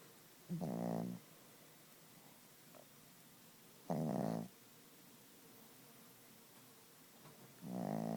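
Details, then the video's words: A sleeping Chihuahua snores loudly: three long, harmonic, rasping breaths spaced about three to four seconds apart, each lasting around half a second, in a quiet room. "the Snoring Chihuahua"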